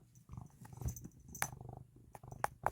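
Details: Kkomi, a pet cat indoors, purrs before a Churu snack is even given, a steady low rumbling throb with a few sharp clicks and a soft human voice nearby.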